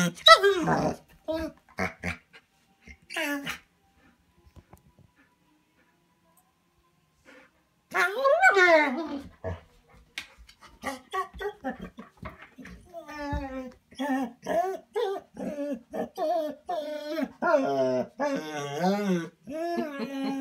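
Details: Bernese Mountain Dog kept inside a cabin while others go for a walk, vocally protesting; after some speech and a quiet gap, a long run of moaning, warbling, up-and-down 'talking' yowls, rapidly repeated.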